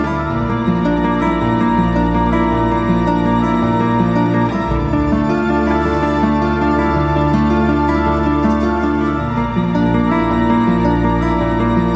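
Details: Soft, sustained instrumental music with layered tones plays throughout, with no animal sounds.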